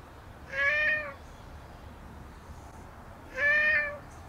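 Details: Two even, steady meows roughly three seconds apart from a stray black cat rubbing up against a visitor at a shrine; calm, low hum beneath.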